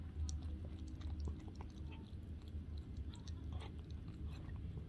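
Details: Murzbo the cat slurping raw turkey cat food on the second day of a raw feeding regimen. Close, rapid wet smacking and chewing sounds over a deep, steady room hum.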